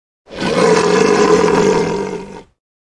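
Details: Lion (Panthera leo), roar.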